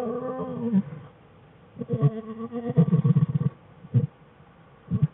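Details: American black bear cubs Fern and Herbie at play with mother Jewel in the den, February 21, 2013: a steady harmonic cry, then choppy low grunting pulses in quick bursts and two short isolated grunts.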